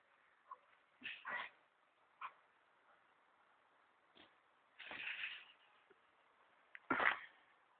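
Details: Airedale Terrier named Archie barking at a goat; short broadband barks at irregular intervals, a few single yaps then a longer harsh burst near the end, with quiet pauses between.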